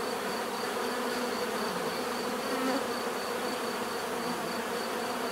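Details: Bees droning in a constant, full-bodied hum, several humming bands blending into a warm steady buzz, with a slight swell just past the middle and a faint high whine behind.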